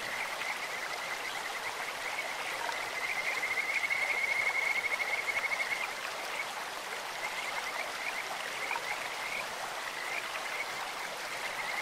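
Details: In a clear mountain stream, Kajika frogs give a sweet, bird-like trill, a rapid string of high whistled pulses swelling in the middle seconds, with softer bursts before and after over steady flowing water.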